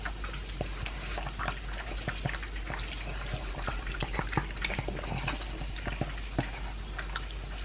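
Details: Elvis, a two-year-old pug, eats dry food mixed with a chunk of beef. Rapid crunches and wet clicks sound close up, dense and irregular, over a steady low hum indoors.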